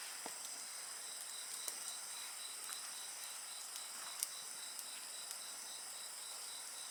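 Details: A continuous shrill insect chorus with a softly pulsing high band, and scattered crackles and one louder pop from a nearby bonfire.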